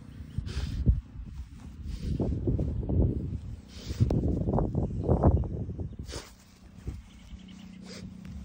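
A French Bulldog sniffs and snorts in quick, uneven bursts of breathy noise.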